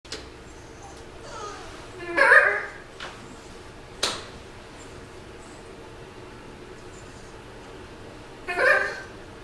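A dog gives two odd, strained, harmonic yelping noises several seconds apart, with a sharp knock between them.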